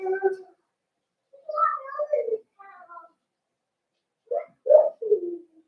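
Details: Cavalier King Charles Spaniel puppies, 12/13/22, in their pen as big dogs are brought by and puppy mash is offered. Loud, clustered whines and yips, several pitched and wavering, ending in a falling whimper.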